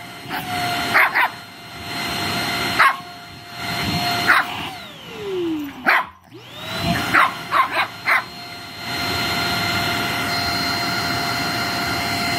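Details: A Shih Tzu puppy that loves playing with the vacuum gives sharp, irregular yapping barks over the vacuum cleaner's steady drone.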